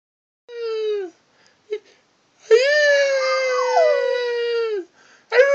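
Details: A dog howling in response to a human howling; a short falling howl, then a long sustained harmonic howl of nearly two and a half seconds that wavers and drops at the end, with brief whimper-like yelps between.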